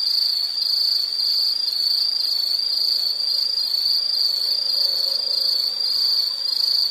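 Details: Insect sound for relaxation: a bright, piercing continuous trill with a faint regular pulsing texture, very even loudness, plus a soft lower murmur briefly in the middle.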